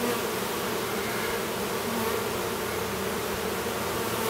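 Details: Steady honey bee hum at a Minnesota apiary near Duluth, where a newly developed drone works to emerge from his cell; a continuous, unchanging buzz of layered low tones with no pauses.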